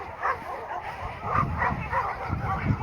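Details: Several of about 350 dogs at a rescue bark in an overlapping chorus, short rough barks arriving every half second or so, as the only caretaker tries and fails to calm them; they rarely get visitors; recorded 8 December 2024.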